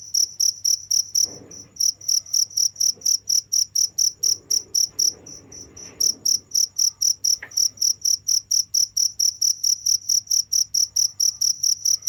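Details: Continuous cricket calling: high, evenly spaced chirps about twice a second, with a short gap near the two-second mark and a soft rustle underneath, all above a low background hum.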